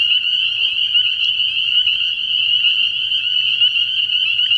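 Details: Early-year night at a frog pond where massed spring peepers keep up a constant high-pitched peeping chorus, individual calls blurring into a bright steady trill over a faint low hum.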